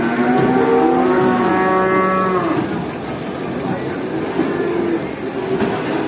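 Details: Many cattle at a traditional animal market moo together, long overlapping low harmonic calls drawn out for a second or two each, one loud moo early then a dense chorus of fainter lowing beneath a steady crowd hum.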